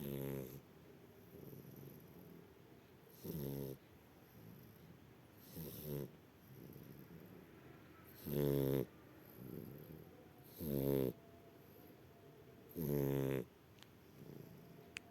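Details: Dozing shar pei producing a steady series of rough, fluttering snores at intervals of about two to three seconds, strong inhales alternating with softer wheezy exhales, growing louder toward the middle and end.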